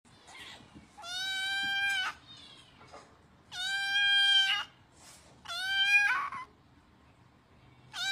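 A kitten gives loud, drawn-out meows, each about a second long, begging for food.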